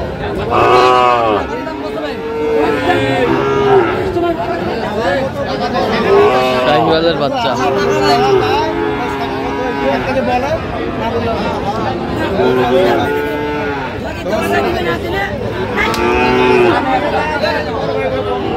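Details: Sahiwal breed bull calves at a Gopalganj cattle market, Bangladesh, 22 July 2025: several short, arching moos come every few seconds over constant crowd chatter, haggling voices and faint music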